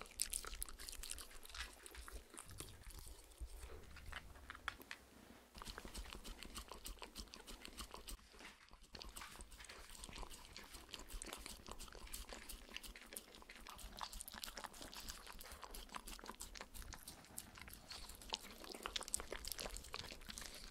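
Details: Shetland Sheepdog puppy Spencer, alongside miniature Schnauzer Oreo, licking peanut butter and coconut oil treats off a clear acrylic sheet indoors; continuous wet smacking and clicking licks, rapid and irregular, with faint low rumble beneath.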